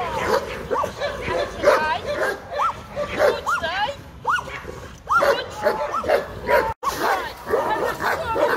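Caucasian Shepherd Dog giving repeated high, arching whines and short yips, with a person talking.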